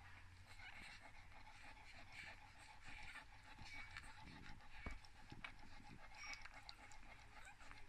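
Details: Three-day-old English Cocker Spaniel puppies from a litter of eight (3 males, 5 females), born in summer 2019 in Fife, Scotland, give soft, breathy grunts and faint squeaky whimpers.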